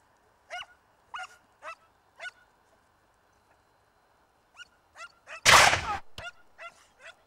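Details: Segugio Italiano hounds chasing a hare in the Vignone, Italy, early 1990s: spaced, ringing bays with clear harmonics, about one every half second, then a pause, more bays, and a single sharp, loud broadband burst near the end.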